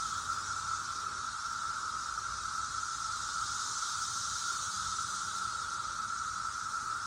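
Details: Cicadas of 2021 making noise: a dense, unbroken droning chorus with a steady whining band, continuous throughout without pauses.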